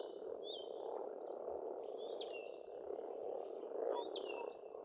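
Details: Spring frog chorus at a pond in Estonia, a steady rolling croak mass throughout, while several birds add short whistled and slurred notes higher up, one louder phrase near the end.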